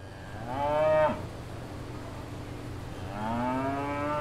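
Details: Cows mooing on a farm in the countryside: a loud harmonic moo that rises and falls over about half a second, then a second longer moo begins near the end, over a steady low hum.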